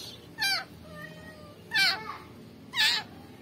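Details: Kitten rescued from a rubbish bin, abandoned newborn with maggots, calls three times in three and a half seconds, short bright harmonic meows over a background of steady low tones and soft noise.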